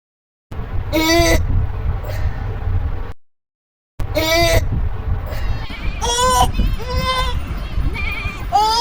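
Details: Goats and sheep in a funny-voices compilation: loud, quavering bleats and screams about half a second long, repeated in quick succession, with abrupt cuts and a short silent gap.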